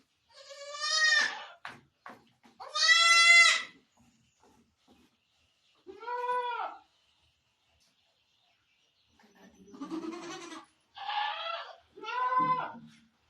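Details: Barbari goat at delivery time, giving birth on a goat farm in Sultanpur, India; loud wavering bleats, some long and some short, separated by pauses of silence.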